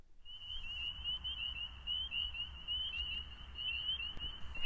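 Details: A dense chorus of many spring peepers, the tiny frogs that live near water and call on evenings in peeper season: many high whistled peeps overlapping into a steady shrill band.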